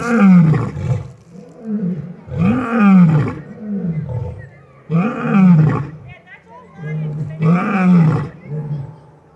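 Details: Lions at an exotic feline rescue roar in a series of deep, grunting bursts about every two and a half seconds, each rising then falling in pitch, with overlapping calls from more than one animal.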